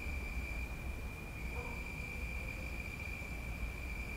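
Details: Crickets in a tree at night give a steady, high, ringing trill over a low background rumble, with dogs barking faintly.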